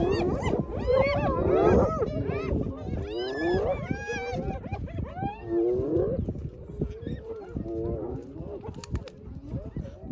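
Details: Group of hyenas taking over a lions' meal after the lions had eaten enough, filmed on iPhone; rapid wavering giggles and swooping squeals early on, thinning out in the second half to scattered calls and low rumbles.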